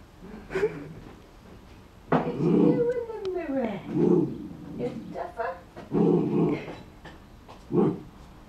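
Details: Airedale Terrier puppy, a male, growling at his own reflection upon seeing it for the first time; low rough growls in bursts around 2, 4, 6 and 8 seconds, with a falling whine-like tone near 3 seconds and a person speaking.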